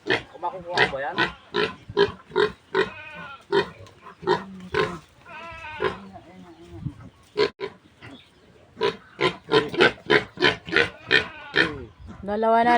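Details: Weaning-age piglets of a newly farrowed sow, escaped for a month and now skittish: rapid rough grunts in bursts, a pause with drawn-out tonal squealing, then quicker grunting again, with people talking nearby.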